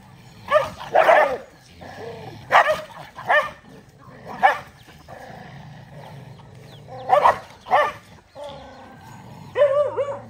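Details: Several dogs eating rice together, giving short sharp barks in bursts around one, two and a half, four and a half, and seven seconds, with softer yips between and a low background murmur.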